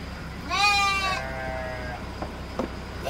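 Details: Garut sheep in a pen give one loud, wavering bleat lasting about a second, which trails off into a lower drawn-out tone, over a steady background hum with a few soft knocks.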